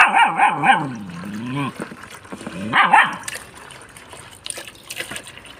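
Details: German Shepherd reacting to flowing water, giving a few loud barks that slide into wavering howl-like whines, then a second bark with a wobbling whine; trickling water and faint voices behind.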